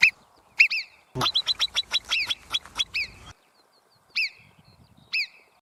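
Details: Piercing, high-pitched marmot whistles ring out, each a quick downslurred note: first singly, then a fast run of them, then singly again.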